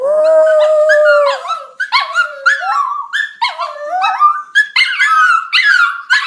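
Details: Pet dogs howling together at home, set off when people howl at them: long wavering cries sliding up and down, several voices overlapping in a drawn-out chorus that breaks into shorter rising yelps toward the end.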